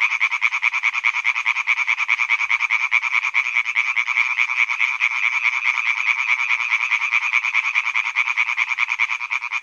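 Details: Male European tree frogs croak in a pond at Hyby Fælled, Denmark, in a loud, fast, rattling chorus of harsh, high-pitched pulses.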